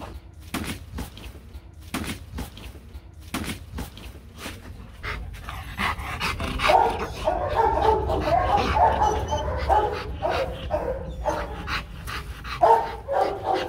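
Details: Marvin, a Rottweiler being taught for fun to bark on command, gives a run of short, sharp barks at uneven intervals for about five seconds, then softer panting and whimpering mixed with a human voice.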